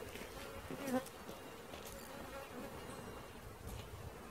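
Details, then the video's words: A swarm of bees being caught, a steady low droning hum with a clear tone and its overtone, plus a brief louder knock near the start. "Catching Bees start to finish bee swarm"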